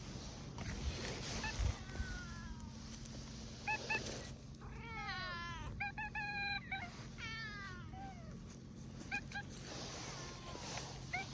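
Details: Meowing stray tabby cat approaching: faint short calls early on, then three louder, bending meows in quick succession midway, over a steady low hum and background noise.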